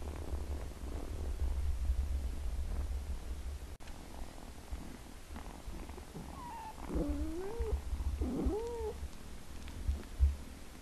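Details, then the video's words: Kittens meowing: a low steady rumble fills the first half, then several rising-and-falling, slightly wavering meows come close together near the end over a soft background hum. "Kittens meowing sound"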